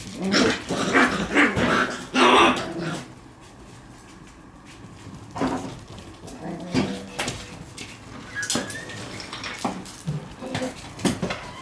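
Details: Shiba Inu puppy romping wildly indoors; a cluster of rough, growly yelps and scuffling bursts in the first three seconds, then quieter scattered knocks and short vocal sounds.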